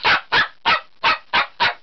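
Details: Bichon Frise dog barking indoors, apparently wanting to go out: six sharp, short barks in quick succession, about three per second, evenly spaced and loud.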